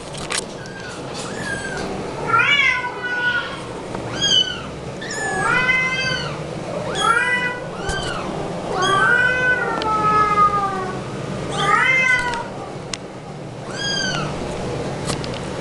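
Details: A one-month-old tortie lynx point Himalayan Persian kitten, recorded April 2012, meows insistently, its high, arching cries coming about every second.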